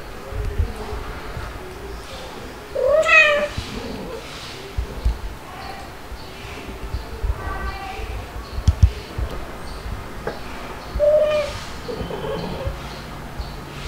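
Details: Playful kittens, white dalmatian-spotted Stuart and black Lunar, with mother cats Pepper and Mel, filmed 3 to 8 July 2022: two high, harmonic, rising-then-falling kitten meows about eight seconds apart, with soft voices and household rustling between.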